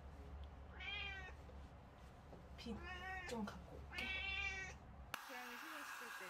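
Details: Eight-year-old pet cat during a bath indoors in Korea gives three plaintive, slightly rising meows over the steady hum of running water, with a woman speaking softly at the end.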